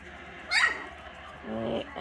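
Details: Four-week-old Pomeranian and Dachshund puppies, June 2022: a single sharp high yip sweeping downward, then a softer whimpering murmur near the end, over quiet room hum.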